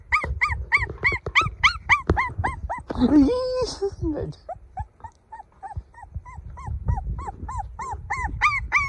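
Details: Golden puppy crying: rapid run of short, high, arched whimpers, about three or four each second, with a brief harsher squealing break midway before the steady yelping resumes.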